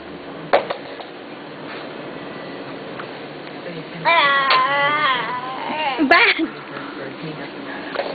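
A wolf gives high, wavering, whine-like calls in short bursts.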